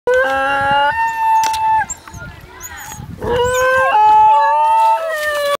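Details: Basenji dogs howling, long sustained tonal wails with rich harmonics, two or more voices overlapping, some notes steady and others sliding and wavering, a brief quieter gap in the middle before the howling resumes.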